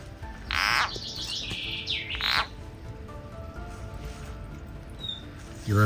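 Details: Snake-caught frog dragged behind a garden hive in summer gives a loud rasping scream, then a thinner higher wavering cry and another harsh burst, followed by quieter rustling and a faint high whistle.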